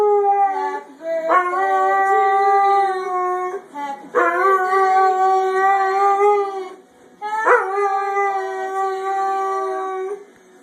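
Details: White Labrador Retriever howling along to the Happy Birthday song: three long, steady, rich howls, each held two to three seconds and opening with a brief rising swoop, separated by short breaths.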